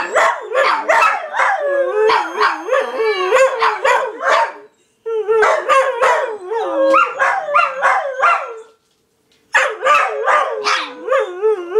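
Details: Several dogs howling together in overlapping wavering tones, broken by yelping bursts that come in rapid runs, with two short pauses of silence between bouts.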